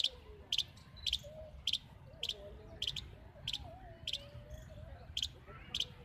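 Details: A small squirrel, possibly a baby, sits in a tree in Central Park, Jaipur, and calls continuously with sharp, high chips about twice a second over a low rumble. It is perhaps searching for its mother or watching visitors.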